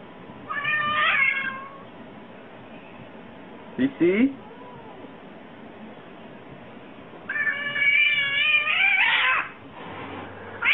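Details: Domestic cat meowing: two long, drawn-out, slightly rising meows, one early and one later, with a short sharp noise between, quiet music and a burst of laughter in the background.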